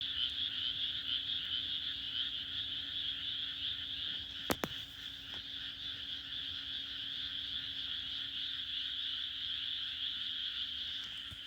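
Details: Frogs croaking on a June night in the Japanese countryside: a dense, high-pitched chorus pulses without pause, over a steady low hum, broken by one sharp click midway.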